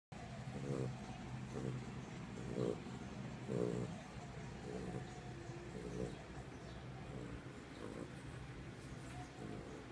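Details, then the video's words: Sleeping Chihuahua snoring softly indoors, low rumbling snores repeating roughly once a second, each breath a short hoarse burst with a faint murmur of background noise throughout. "Snoring chihuahua"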